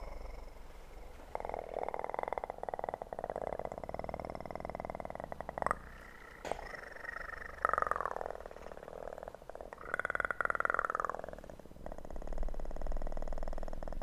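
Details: Kitten purring close to the microphone, a steady pulsing rumble from about one to five and a half seconds, then softer stretches broken by clicks and brushing noises.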